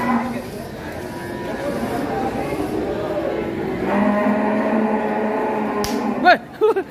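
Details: Giant fattened cow, raised for two years at Gunung Telomolya, giving a low drawn-out moo in the second half, partly covered by men talking nearby, with a sharp knock near the end.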